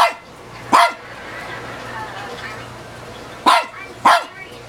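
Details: Barking at itself in a mirror, an old female dog around 15 years of age gives three short sharp barks, one early and a close pair near the end, separated by a quiet stretch with faint household hum.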